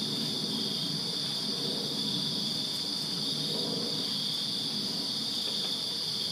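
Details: Summer-night crickets in a Virginia backyard keep up a continuous high, even trill while a low murmuring rumble runs underneath.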